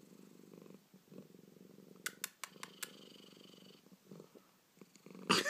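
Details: Pet cat Baby, a male with hiccups, keeps up a low rumbling purr broken by a quick series of four or five sharp clicking catches mid-way; a voice briefly cuts in at the end.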